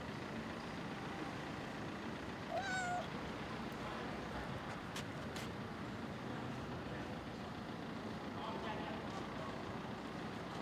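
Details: A stray female cat, running toward the man who raised her, gives a single short meow about two and a half seconds in, set against a constant rumble of traffic and passing vehicles.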